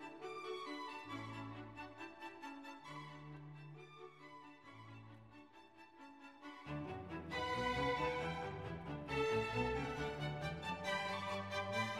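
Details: Bowed violin music with sustained low string notes, growing fuller and louder after the midpoint, and no animal voice audible.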